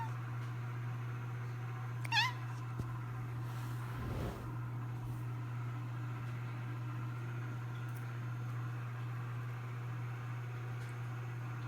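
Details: A cat gives one short, rising then falling meow. A second, lower call follows two seconds later. A steady low electrical hum fills the background.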